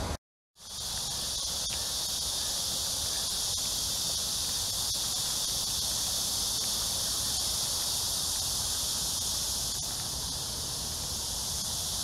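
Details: A dense, steady cicada chorus forms a continuous high, hissing drone on a hot early summer evening, 6–7 p.m., July 26, 2021, along the Han Riverside at Amsa Ecological Park, Seoul, South Korea.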